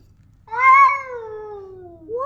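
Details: Pet cat meowing indoors: one loud, clear, harmonic meow that swells quickly, holds, then slowly falls in pitch over about a second and a half, followed by the start of another rising call.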